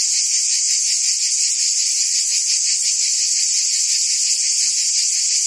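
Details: Cicadas buzzing in forest trees: a steady, shrill, high-pitched drone that never breaks, with a faint throbbing of roughly three pulses per second running through it. No other sounds are heard.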